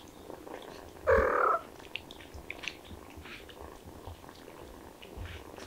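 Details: Kittens excited by the smell of chicken: a single loud, short meow about one second in, then quiet with faint rustling and small clicks.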